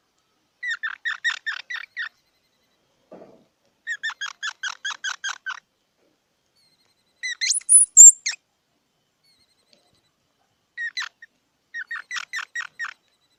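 A squirrel gives bursts of rapid, sharp squeaky chips, with one higher drawn-out squeal partway through.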